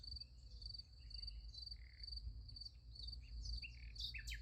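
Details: Crickets at night beside a sunflower field: a steady, high, pulsed chirping repeated about four times a second, with brief sweeping bird-like chirps near the end and a low rumble underneath.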